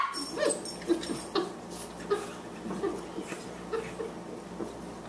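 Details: Boxers playing indoors, a 14-week-old puppy, Margie, at 18 pounds, and an older dog, Lou, the Elder: short grumbling growls and yips repeated in quick, uneven bursts, with scuffling between them.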